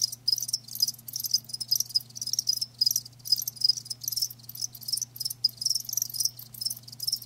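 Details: Live crickets, several calling together: dense high, buzzy chirps in rapid pulsing bursts, overlapping continuously with short gaps, over a faint steady low hum.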